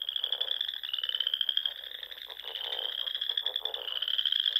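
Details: Many frogs calling together at dusk in spring, Sandhills of Nebraska, pond country among dunes; a continuous shrill trill dominates, backed by rapid, rattling lower croaks in short bursts.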